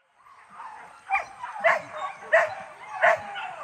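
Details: Hunting dog in training at the Sungai Pingai hunt grounds, giving sharp, repeated barks roughly every half second to second, rising in intensity, with faint voices underneath.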